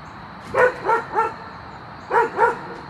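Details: A dog barking at a deer gives a run of sharp, mid-pitched barks, three together and then two more.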